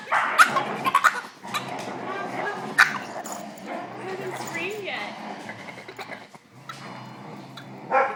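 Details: A Boston Terrier gives odd, warbling whines and sharp yips, going wild with frustration because he can't play with the other dogs.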